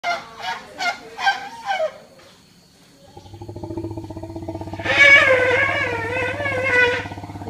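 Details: Elephants in a group at a sanctuary, Elephant Nature Park, Thailand, on August 10, 2016, calling to each other: a few short honking calls, a pause, then a long low droning rumble with a higher wavering squeal layered over it.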